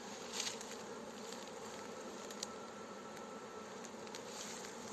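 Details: Honey bees of a newly captured swarm entering their hive with a beekeeper's help: constant dense buzzing hum and a few faint, sharp ticks.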